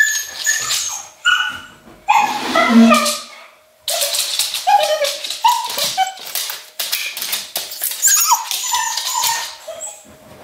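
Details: Luna, an English Cocker Spaniel living in Berlin, left alone at home with separation anxiety heightened by Germany's lockdown. High, wavering whines mix with sharp yips and bursts of broadband scratching or barking, with a faint steady hum underneath.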